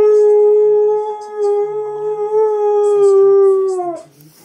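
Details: Siberian Husky singing a single sustained howl lasting about four seconds. Level and smooth with a slight wobble midway, it drops off at the end. Faint clicks and background murmur.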